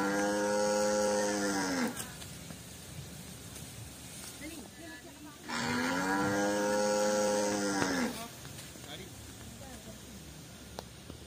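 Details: Two long, deep moos from free-roaming white village cattle in a garden, each about two and a half seconds with strong harmonics, separated by a few seconds of steady outdoor background noise.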